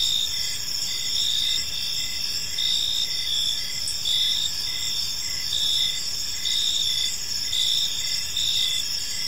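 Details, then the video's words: A tranquil evening park filled with chirping crickets: steady, high, overlapping trills forming a dense insect chorus with small rhythmic swells and a quiet low background hum. "Park Serenade: Cricket Sounds in a Peaceful Park | Evening Ambience"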